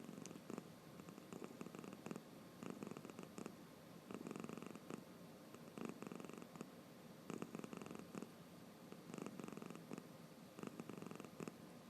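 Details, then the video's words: House cat snoring with open eyes as it dozes: a long run of rough, fluttering breaths, each a buzzy pulse lasting under a second, repeating unevenly over twelve seconds in a quiet indoor room. "目をあけながらいびき？する猫 Cat to snoring 코 고양이 猫打呼噜"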